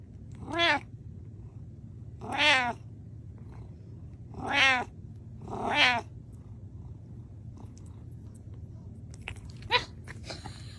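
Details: Domestic cat meowing in spring buttercup season: four loud, drawn-out harmonic meows roughly every two seconds, each rising then falling, followed by quieter clicks and rustling against a steady low hum.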